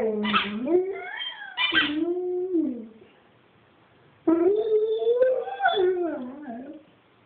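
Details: Pet dog singing indoors: two long wavering howls with rising and falling yodel-like pitch, then a pause and a third longer howl sliding down at the end, with harmonic whining overtones.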